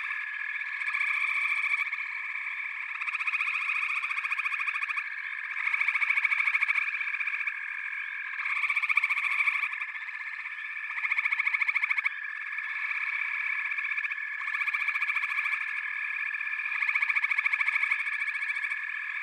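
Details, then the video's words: A dense frog chorus forms a continuous buzzing, trilled drone that swells and eases in waves every couple of seconds, with many overlapping voices and no other clear sounds. "FROGS - Pig Frogs, Water Frogs, Backwater Chorus, & Frog Chorus"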